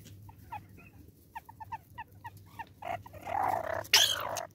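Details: Banded mongoose in South African forest giving short, chirpy peeps in an irregular series, ending in a louder, harsher burst.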